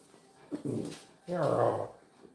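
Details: Miniature Schnauzer, a female house dog, vocalising indoors when called in front of the camera: two short whiny, whimpering bursts with harmonic bands, the second longer and louder, mixed with a woman's voice.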